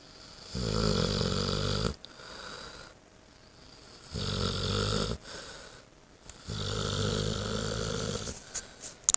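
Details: Sleeping young female Saint Bernard, eight months old, back home after being spayed; heavy guttural snores repeat three times, each about one and a half seconds long, separated by soft wheezy breathing, indoors.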